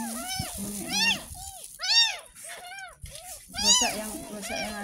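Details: Rescued ten-day-old kitten mewing through its very first bath as its neck is washed with soapy water. Six or so loud, arched cries come about every half second to second, with women talking and giving instructions over them.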